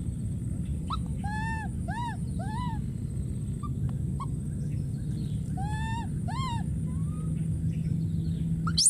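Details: Wild baby monkey screaming and calling for his friend: short arched, harmonic-rich cries in bursts of two to four, a first cluster early on and a second after a pause, over a steady low background hum.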